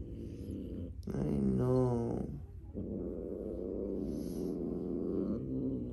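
A Bengal cat, scared, lets out a drawn-out, wavering moan that bends up and down in pitch. Afterwards a low, grumbling rumble continues while a person murmurs reassurance nearby.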